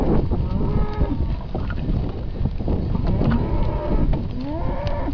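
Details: Calves from a uniform sale lot of 54 polled animals born in winter 2012, mostly Hereford and Hereford x Limousin, lowing. Several drawn-out harmonic moos over a constant rumbling background of shuffling and movement.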